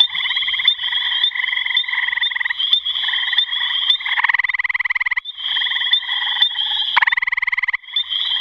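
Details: Gray tree frog giving repeated trills: a rattling, strongly pulsed burst, then a smoother stretch, and another loud pulsed burst near the end. A shrill steady tone hums above the calls.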